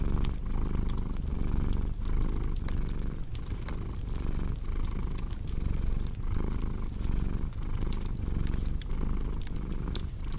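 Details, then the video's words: Deep, even purr from a cat by a crackling hearth, the rumble surging in regular breath cycles about every second, with bright irregular snaps of burning wood layered on top. "Purring Cat with Cozy Crackling Fireplace Sound"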